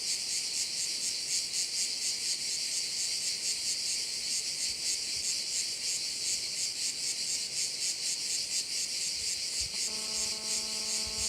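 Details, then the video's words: Crickets on Korčula, Croatia, keep up an intense high shimmering trill by a bay. Near the end a low, steady, humming tone, perhaps an engine, joins the chorus. "Korčula - view of one of the bays in Korcula with sounds of crickets"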